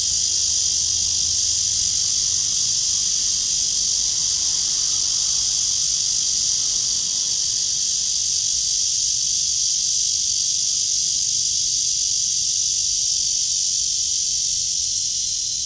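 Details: Morning cicada in a tree, 23 August 2020 at 9:27, during a walk beneath blue sky; a constant hissing, high-pitched drone dominates, with faint low rumble beneath.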